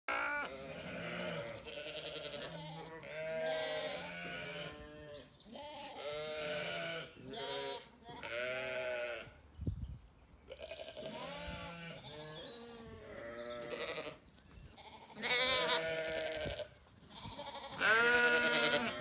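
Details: Ewes and lambs in a sunny orchard on a regenerative farm in County Kilkenny, Ireland, with curious lambs close by; repeated wavering bleats, some high-pitched lamb calls and some lower ewe calls, with quiet gaps between them.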